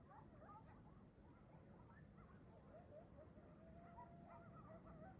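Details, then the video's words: A morning pack of coyotes running through a neighborhood: rapid, quick-rising yips and short yelps from several animals overlap continuously, with a faint steady howl in the second half and a low background rumble. "The sound of Coyotes waking up and on the move this morning"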